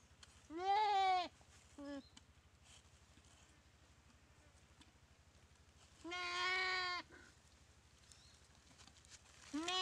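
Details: Goat attacked by a Komodo dragon in a dry riverbed at Komodo Village, paralysed by the bite: a strained, quavering bleat, a brief clipped cry, then a long bleat after several quiet seconds and another starting at the end.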